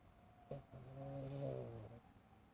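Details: Cat snoring while dreaming, wearing an Elizabethan collar indoors; a single drawn-out, low, rattling snore lasting over a second, starting after a soft click and fading away, in a quiet room.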